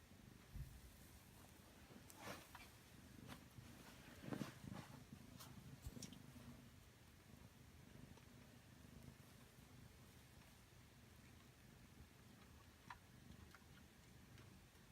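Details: Domestic cat being tickled, spreading its toes wide, purring with a low steady rumble; scattered soft clicks and rustles of handling occur in the first seconds.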